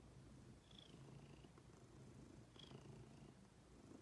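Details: Soft continuous rumble of a purring female pet cat named Ginger, overlaid by two brief high whistles about two seconds apart.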